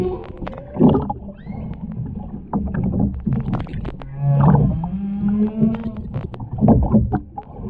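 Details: Humpback whale recorded underwater off the Ogasawara Islands, Japan, on 23 February 2021 during whale watching, with a mother, calf and escort nearby; a singer gives low moaning tones, a steady hum and rising whoops amid clicks and water noise.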